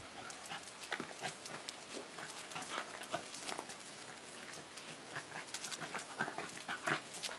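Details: Dogs, a dachshund among them, playing together at a dog hotel; quick breathy bursts and scuffling mixed with dense clicking and tapping, like claws and paws on a hard floor, continuing without pause.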